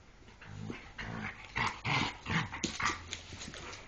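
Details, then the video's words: A Jack Russell Terrier and an Airedale Terrier playing together produce a series of rough growls and gruff huffing bursts, roughly three per second, with scuffling noise between them. "Jack russel terrier i Airedale Terrier się bawią:)"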